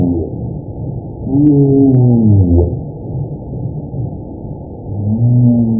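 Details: A humpback whale underwater in the ocean gives low, drawn-out moaning calls that bend and slide downward in pitch. These are communication and social sounds.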